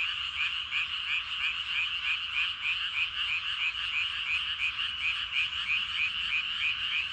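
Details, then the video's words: Masses of frogs calling from rice fields at evening; one nearer caller stands out with short, bright, regularly spaced croaks over the dense background chorus of many others. "저녁때 논에서 개구리 울음소리가 대단합니다. 개구리들이 엄청 많은가봐요!"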